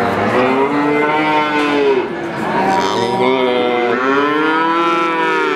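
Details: Several calves moo at once, overlapping long wavering bleats with rich harmonics, one rising and falling after another with no pause in between.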